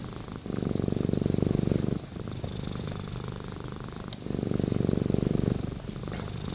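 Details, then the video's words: Purring house cat heard up close: low, rapid, even rumble rising in two strong bursts lasting about a second and a half each, softer between breaths. "Rama Purrs"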